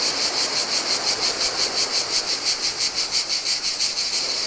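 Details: Cicadas singing in the heat beside the Adriatic sea on a deserted Greek island beach: a dense, shrill, buzzy drone pulsing steadily about three times per second, with soft rushing surf beneath.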